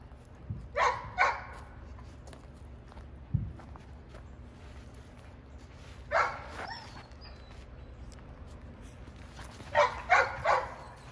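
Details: Barking from a female Giant Schnauzer puppy doing protection exercises: a pair of barks, a long quiet stretch with one dull knock, then a single bark and a final rapid cluster of three.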